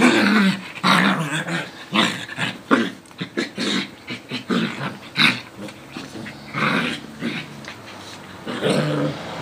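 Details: Two small dogs, a Coton de Tulear and a Yorkie Lowchen mix, playing together: rough, broken growls and snarls in quick irregular bursts, with short yips and scuffling throughout.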